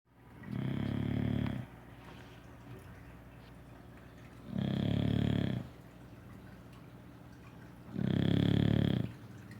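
A sleeping English Bulldog gives heavy, low, rattling snores lasting about a second each. Quieter breathing fills the gaps between them in a still indoor room.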